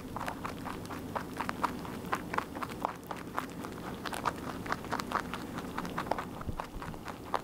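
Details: A rabbit eating continuously gives fast, dry, crackling crunches, close to a constant patter of bites, with a soft low rumble underneath.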